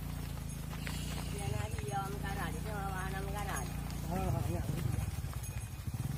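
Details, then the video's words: Cattle, mother cows entering a barn while their calves stay outside, calling with wavering, drawn-out bawls in a cluster near the middle and another near the end, over a steady low mechanical hum. "Mother Cows Entering the Barn While Their Calves Stay Outside"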